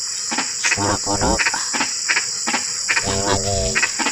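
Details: Frogs on a night of drizzling rain give throaty, pulsed croaks in short bursts, mixed with brief clicking notes about every half second, over a constant shrill trilling of crickets or other insects.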